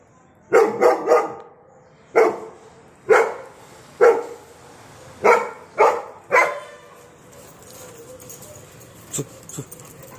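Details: Doberman barking: sharp, loud barks, some in quick pairs and others single, spaced about a second apart, then a quiet stretch with a couple of faint knocks at the end.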